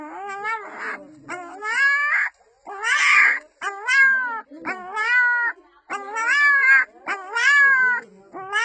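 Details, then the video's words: A little female puppy cries out to her mother in repeated, arched, whining notes that rise and fall, with one rougher, breathier cry near the middle, coming roughly once a second with short gaps. "small puppy making human sounds"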